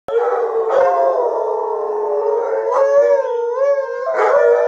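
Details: Three Alaskan Malamutes, Sojou, Fish and Dotty, howling together as a way of venting, like letting off steam; sustained overlapping tonal howls hold a steady pitch, with brief louder yelping onsets near one, three and four seconds.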